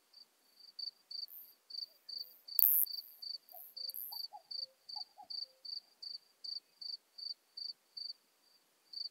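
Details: Isophya modesta singing at Marz, Austria, on 13 June 2020: repeated short high chirps at a quick steady pace, with a loud knock and faint lower whistled notes in the background.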